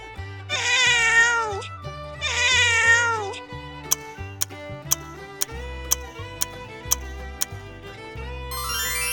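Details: A domestic cat on a farm, where it catches mice, gives two drawn-out, harmonic meows that rise then sag at the end, about a second apart, over steady background music with a beat and sharp percussive ticks.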